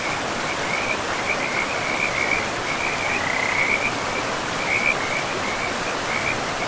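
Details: A run of quick, high chirping croaks from frogs calling beside a forest river, the notes bunched in short bursts and trills, carried over the constant hiss of rushing water.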